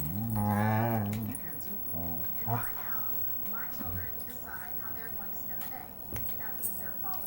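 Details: A female Siberian Husky "talking", opening with a loud, drawn-out, wavering woo-like moan lasting about a second, then softer short grumbles and sporadic faint clatter.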